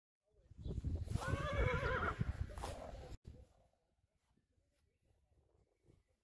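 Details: Friesian stallions or colts meeting each other in a field, a loud harmonic neigh rising and falling for about two and a half seconds, then quiet with faint thuds and rustle.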